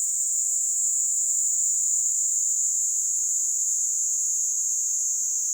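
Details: Kaempfer cicada (Platypleura kaempferi) singing while perched on a person's hand in Kanto, Japan, on July 26, 2022: a steady, loud, high-pitched shrill buzz held without a break throughout.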